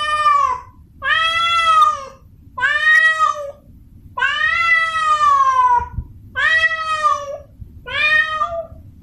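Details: Male domestic cat in heat calling a female: six drawn-out, harmonic-rich meows, some rising then sliding down, repeated about every one and a half seconds over a low background rumble.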